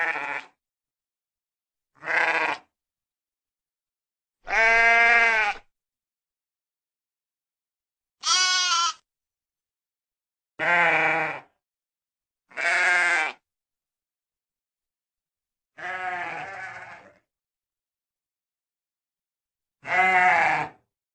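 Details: Sheep giving eight separate bleats over about twenty seconds, each short and harmonic, some slightly quavering, one longer and softer, with clean silent gaps of one to three seconds between calls.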